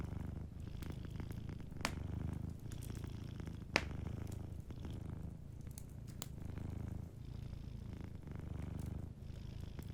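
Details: Sleeping cat purring softly beside a warm fireplace: a deep, steady rumbling purr that swells and fades in breathing cycles of about a second, with sharp fire-crackle pops near two and four seconds.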